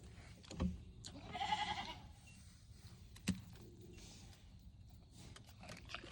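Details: Mini goats on a homemade farm, August 25; a short, quavering bleat near the start, followed by sharp knocking or chopping sounds and quiet outdoor background.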